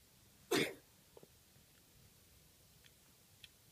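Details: A Maine Coon kitten in London gives a single sharp, breathy cough, followed by a few faint clicks; the owner suspects a hairball.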